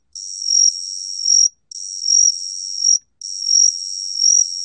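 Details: Gaksi cricket (각시귀뚜라미) song from a 2020 Korean National Institute of Biological Resources recording: a continuous high, thin trill whose loudness swells and fades about every 0.7 seconds, broken by brief silent gaps.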